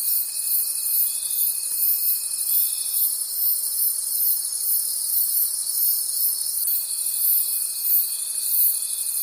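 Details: Crickets calling at night in a forest: a dense, high-pitched chirping chorus pulsing about three times a second, with a thin steady whine that drops out after three seconds and returns near the end.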